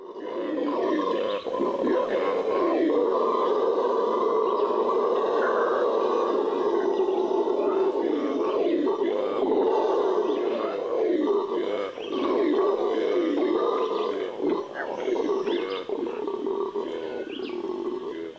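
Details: Venezuelan red howler monkey (Alouatta seniculus) of the Amazon: a sustained, loud roaring howl, droning and rough, swelling and holding steady for the whole stretch with only brief dips.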